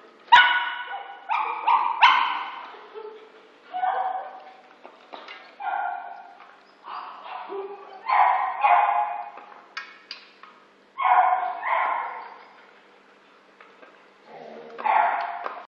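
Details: Shih Tzu named Johna Paul, or JP, during a 17-day stay, giving short, harmonic barks and yips in uneven bursts, roughly a dozen over sixteen seconds, some doubled, separated by quiet pauses.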